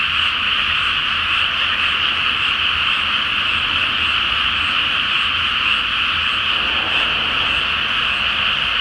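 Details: Night chorus of many frogs in a flooded paddy awaiting rice planting, full moon overhead; countless overlapping croaks merge into one continuous shrill buzzing roar, unchanging for the whole stretch, a soft low rumble underneath.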